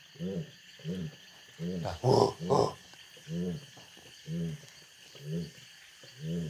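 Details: Jaguar in the Pantanal, possibly a female signalling she is receptive to mating; a deep, hoarse grunting call in rhythmic pulses roughly every half second, with two louder strokes near the middle and a steady insect hum behind.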